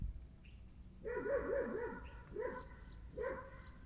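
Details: Stray puppy found abandoned in a box on the street, one of three puppies, the others in the bushes. Puppy gives a quick run of high, wavering whines, then two shorter whimpers about a second apart over a low background rumble.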